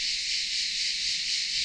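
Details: A cicada on France's Atlantic coast in the morning gives a steady, crackling buzz at a high pitch without a break, lower and more crackling than Canadian cicadas.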